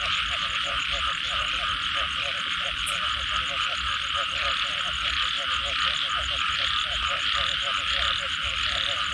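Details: Chorus of frogs after rainfall, their quick pulsed croaks stacking in rhythmic bursts under a continuous shrill high drone, no pauses in the wet natural soundscape.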